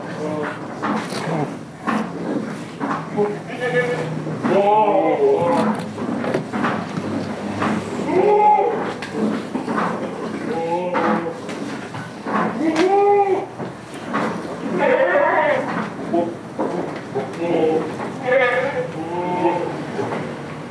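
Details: A chorus of goats on a village farm holding Damascus and Jamunapari breeds, many short wavering bleats overlapping one after another throughout, mixed with people talking and general barn noise.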